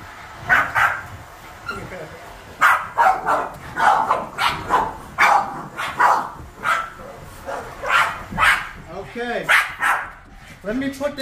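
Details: Seven Boston Terriers barking and yipping indoors as they react to vacuuming; sharp repeated barks in quick bursts throughout, with a person's voice among them and a few higher whining yelps near the end.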